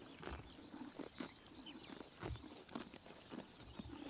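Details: Horses biting grass in the morning sun during summer in Mongolia: crisp tearing crunches come every half second or so, with faint high bird chirps behind.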